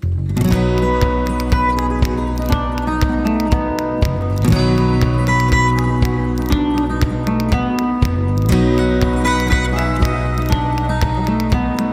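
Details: Strummed acoustic guitar music plays throughout, with no animal sound.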